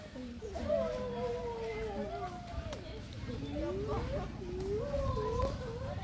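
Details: A male pileated gibbon in the jungle gives looping, rising and falling whoops, with several voices overlapping.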